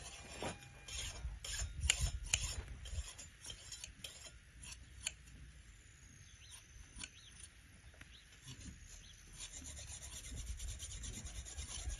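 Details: Rasping, rubbing shearing noises with scattered sharp clicks over low rumble, and no animal voice.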